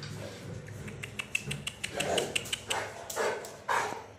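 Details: Saint Bernard mother, angry and guarding her 42-day-old puppies in Dum Dum, Kolkata, India, barking in uneven bursts of sharp, rough barks over low background rumble.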